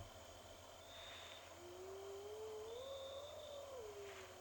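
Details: Spotted hyena in Ngala Private Game Reserve, South Africa, during an afternoon drive on May 3, 2020: one drawn-out whoop rising from low to mid pitch then falling away. Heard over a Land Cruiser engine rumble, crickets and crowned lapwings.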